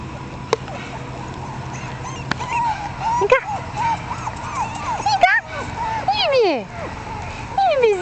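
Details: Several little wavering whimpers and sharp yips come from one-month-old female Jack Russell Terrier puppies, growing busier toward the end with a few falling squeals, above a low steady hum.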